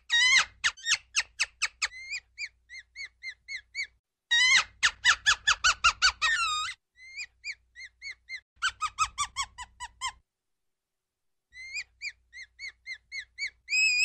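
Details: Ground squirrel producing quick trains of sharp chirps that alternate with softer, spaced chirps, separated by clear gaps of silence.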